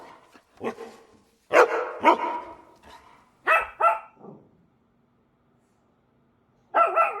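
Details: Dogs bark in a short uneven burst: a few harsh, harmonic barks, some paired close together, then a pause of about two seconds before one last bark.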